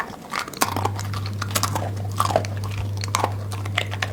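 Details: Domestic dog grazing at its food like a goat, giving sharp crunchy bites and wet chewing clicks at uneven intervals, over a constant low hum.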